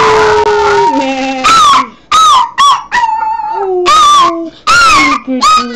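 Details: Yorkshire terrier howling along with bleating sheep: long steady and falling tonal howls between short wavering bleats, the sounds overlapping and trading back and forth.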